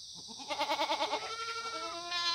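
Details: A single Korean black goat from a free-ranging herd on Muchuksan's slopes in Gimhae, sunny morning in September 2019. One quick bleat with a fast rhythmic tremolo, then a steadier drawn-out tail, over background hiss.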